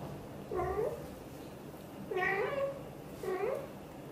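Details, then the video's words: Blue golden British Shorthair mother Xaxa talking to her tiny kitten Piano indoors; three short rising-falling meows, about one second apart, clear and harmonic against a quiet room. "Mother cat loves to talk and hug tightly her tiny kitten Piano"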